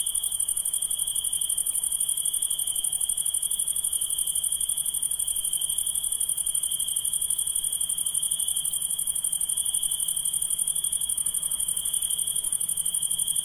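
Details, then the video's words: A constant night chorus of insects: one continuous, finely pulsed high trill layered over a sharper, very high shimmering buzz. No breaks and no other voices stand out. "Relaxing Insects Sound"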